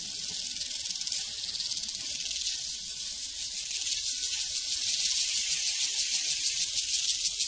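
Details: A prairie cricket chorus: high, fast, evenly pulsed chirping fills the whole stretch, swelling slightly louder toward the end, with no other clear sounds.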